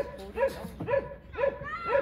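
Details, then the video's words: Excited Border Collie keen to learn frisbee gives four high, bent yelps, each a quick up-and-down squeal, spaced about half a second apart. "보더콜리 킹 프리스비 빨리 배우고싶어 난리네요"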